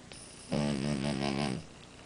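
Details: Amora the French Bulldog lets out one long, vibrating snore of about a second, rich in low buzzing harmonics, starting abruptly and fading out.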